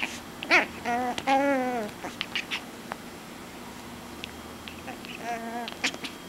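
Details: Eight-week-old Chihuahua puppy going wild while playing with a pillow indoors: tonal, wavering whines and yips in two drawn-out bursts near the start, then soft scuffling and thumps, and another short whining cry near the end.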